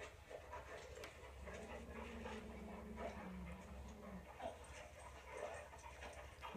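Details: Toy Poodle indoors watching dogs on television, giving a soft, drawn-out whine held steady for about three seconds, low and quiet, over faint background household noise.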